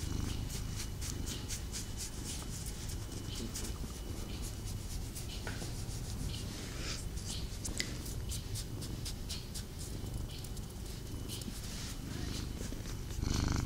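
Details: Pet cat purring during a snuggle indoors; faint low continuous rumble under frequent rustling and rubbing noises of fur and bedding, ending with a louder shuffle.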